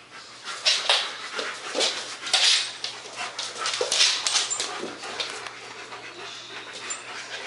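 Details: Two German Shepherds, Max and Ace, at play on 14 September 2015, giving loud rasping pants and hissy breaths in uneven bursts roughly every second, with a constant low hum beneath.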